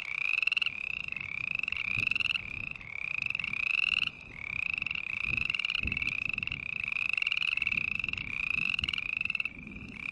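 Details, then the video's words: Green tree frogs give a continuous string of short, rising, nasal calls, roughly two per second, with several frogs overlapping. Loudness dips briefly before building back, over faint low-pitched background noise. "Sounds of Green Tree Frog Call"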